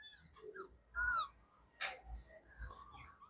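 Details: Young kittens whose eyes have not yet opened, one resting in a person's lap, give a short rising-falling mewing call followed by faint high squeaks, with handling noise and a sharp click.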